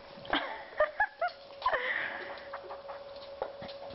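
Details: Nine-week-old Cocker Spaniel puppies at play, cuddling and romping together: a quick run of short, high, squeaky yelps and whines in the first two seconds, some rising in pitch, then softer snuffling over a faint steady hum.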